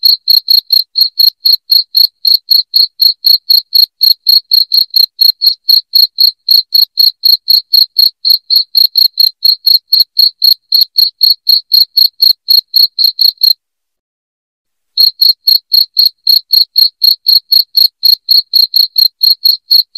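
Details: Cricket calling loudly, offered as a rat deterrent for the home: a long run of piercing, evenly spaced chirps, four each second, broken once by a silent gap of about a second and a half before continuing.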